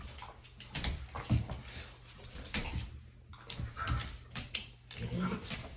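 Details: A Xoloitzcuintli, or Mexican hairless dog, at play, giving short low growls and soft whimpers at irregular intervals amid scuffling, thumping and clattering movement noises.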